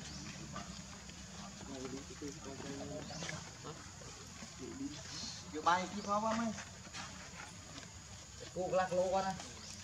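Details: A tiny baby monkey gives wavering, cry-like calls, calling for its mother and sister.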